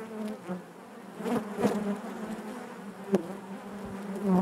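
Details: Low, even humming of honey bees within their hive, dotted with short, sharper buzzes from bees flying by closely, the loudest near three seconds and again at the very end.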